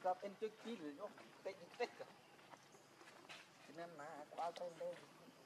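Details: Baby macaque Leo, hungry and crying as he begs his mother for milk: wavering, quavering mid-pitched wails in short bursts, a louder cluster at the start and another after a brief lull.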